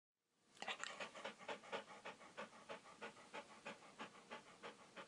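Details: Dog panting steadily, quick breathy huffs repeating about three times per second with no other sounds.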